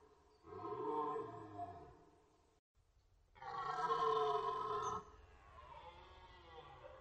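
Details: Red deer during the rut on the Orzysz military training ground in Poland, archival recording: two long, deep, harmonic roars, the second louder and fuller, with a fainter drawn-out bellow at the end.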